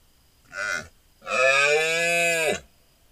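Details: During the rut, a large deer stag is heard at night on a hunting trail camera: a short grunt-like call, then a longer steady bellow of about one and a half seconds, deep and strongly harmonic.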